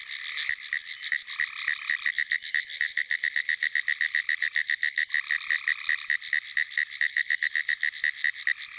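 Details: A pine woods treefrog calls from a flooded field after a rainstorm in South Carolina on 22 April 2011, a rapid, dry, clicking series like fast Morse code.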